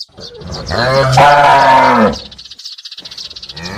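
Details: Calf giving a single drawn-out bawling moo of about one and a half seconds, rich in harmonics and slightly wavering, followed by faint rapid clicking noise.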